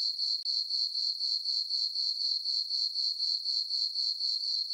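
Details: High, thin cricket chirping at night in a meadow on a farm under a full moon, summer; evenly repeated pulses about four a second, with one very brief dropout near the start.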